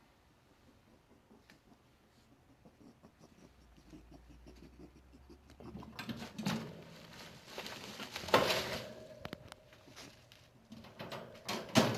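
Quiet indoor room with a low hum, then scratching, rustling and pattering noises, with no clear animal call.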